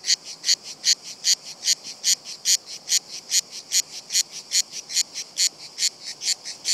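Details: Cicadas on a tree trunk keep singing despite a close human presence, some descending the trunk out of curiosity; a regular train of harsh, rasping high chirps, about two and a half each second.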